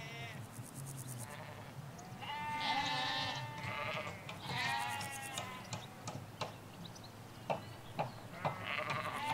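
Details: Sheep, ewes with their lambs, in a field in the Hampshire countryside, giving loud drawn-out bleats near the middle, then quieter calls, with sharp bird chirps and low traffic rumble behind.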